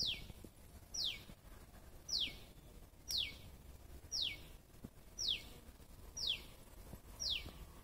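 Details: A squirrel gives a string of eight thin, high, falling chips, about one each second, every note a quick downward whistle, with faint ambient noise behind.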